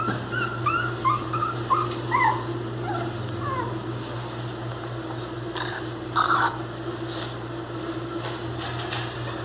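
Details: Miniature pinscher puppies, called angry, whining in a brief cluster of wavering high cries, then a pause and a couple of rougher bursts, all over a steady low hum.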